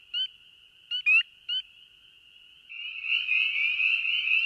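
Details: Spring peeper chorus played back: high ringing background with a few rising peeps, then a raspy, buzzy trill, the peeper's territorial call, sounding like a chorus frog with a sore throat.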